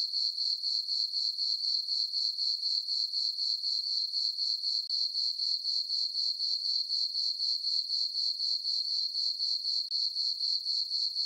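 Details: A continuous cricket chorus on a peaceful summer night in a farm meadow lit by a full moon; sharp, high, tinkling chirps pulse regularly about four times per second without pause.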